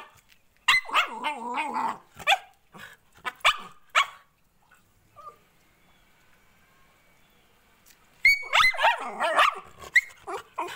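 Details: Indian Spitz puppy crying: bursts of high, wavering whines and yelps in two clusters, early and near the end, separated by a quiet stretch of several seconds.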